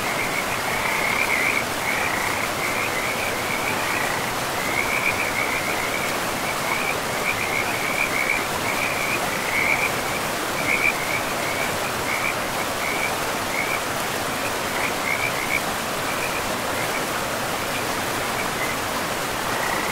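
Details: In a pristine forest beside a river, frogs keep up a quick pulsing trill, strongest in the first half and thinning later, beneath a constant roar of flowing water.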